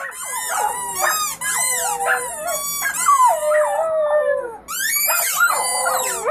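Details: Puppies of one family in a chorus of howls, several voices overlapping with long wavering tones and a sliding falling cry, a short pause before the howling resumes.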